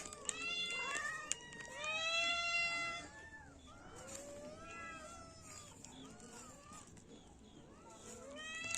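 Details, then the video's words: Kitten and cat meows come in a loud burst of high, strained, harmonic cries early on, then softer, drawn-out descending mews repeat steadily through the rest. "Cat meowing sound effect] kitten meowing sound effect"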